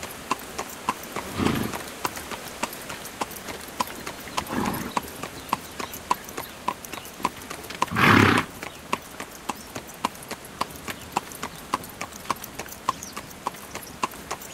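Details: Horse pulling a carriage: steady, sharp clip-clop hoofbeats, about three or four per second, with three louder broad whooshing bursts near the start, middle and past halfway.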